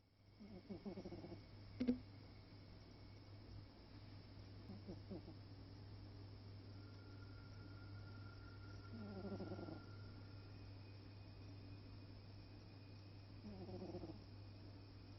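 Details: Alfred, a sleeping stripey cat, snores in rhythmic, raspy, pulsed breaths, four bursts roughly every four and a half seconds, with a steady low hum underneath.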